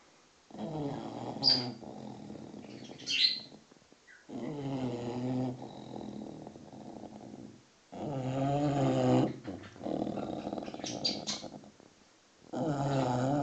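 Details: Snoring six-month-old English bulldog, fast asleep and ignoring the noisy birds: four harsh, vibrating snores, each one to two seconds long, repeat at irregular intervals, with sharp bird chirps and twitters between them.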